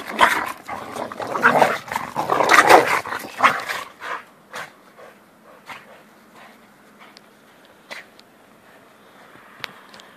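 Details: Two dogs, Jack and Bobby, playing together in a snowstorm; a loud burst of broadband, noisy barks and scuffling in the first four seconds, then quieter scattered short sounds and clicks over a low steady hum.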